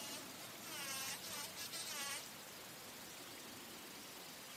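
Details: Bumblebee flying while feeding on nectar at flowers: a wavering, droning buzz that swells and dips in pitch for about a second and a half, then fades, leaving only steady background hiss.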